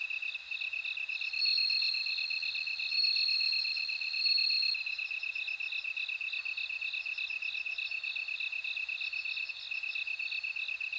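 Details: A bell cricket rings in continuous high trills that grow louder in bursts early on, then ease, while a lower insect pulses rapidly and evenly underneath.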